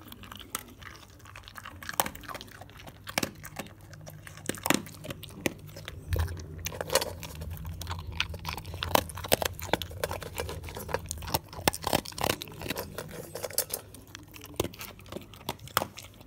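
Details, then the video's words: Close, steady mastication from a male dog working through crispy, moist or bone foods. Dense runs of sharp crunches and clicks repeat every fraction of a second over a low background hum. "ASMR Dog Eating"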